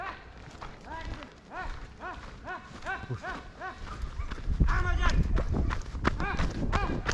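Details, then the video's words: Hound working a hare hunt at the opening of the 2023-24 hunting season. Rapid, ringing, arched yelps repeat about three times a second and grow louder and denser toward the end. Men's voices call over them outdoors. "Kopayla Tavşan Avı"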